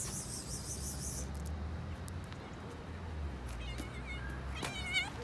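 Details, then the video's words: Stray cats on a street in Istanbul, Turkey, meowing for food. Two short harmonic meows come near the end over steady low street rumble and background noise. "Stray Cats Meowing For Food"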